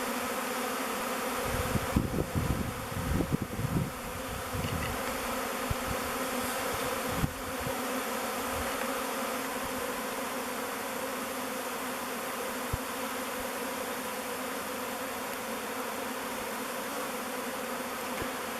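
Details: Thousands of honey bees circling the mouth entrance of the log hive Bee Beard as the swarm moves in; a steady, dense hum throughout, with brief handling bumps and rustles in the opening seconds.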